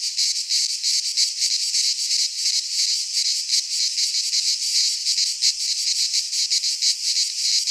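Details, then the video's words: Greek pine forest cicadas singing in midsummer, a continuous shrill rasping drone with quick throbbing pulses and brief swells in loudness, no other voices present. "Cicadas singing in midsummer"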